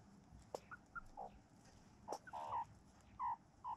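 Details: Meerkats in a mob grooming one another in a farm yard give brief squeaky chirps and a few sharp clicks, scattered unevenly, some calls doubled, above faint low background rumble.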